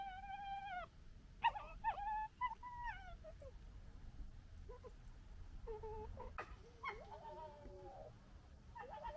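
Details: Red fox family fighting within the group: scattered thin whines, short chattering yelps and sharp clicks come in irregular bursts, some calls bending downward, with steady low background noise.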